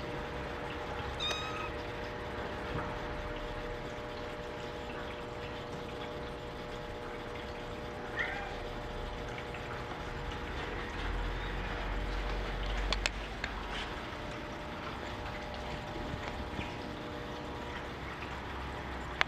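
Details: Male Maine Coon kitten born April 28, dark brown coat, gives a few brief high meows, one near the start and another around eight seconds, over a quiet steady indoor hum.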